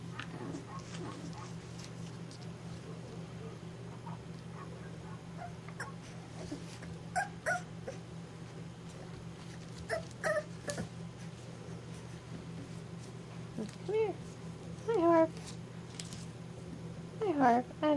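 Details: Six-week-old tri-colour English bulldog puppies, three brothers, indoors; thin, high whimpers and whines sliding up and down, clustered in the final seconds, over a steady low hum and light rustling and clicks.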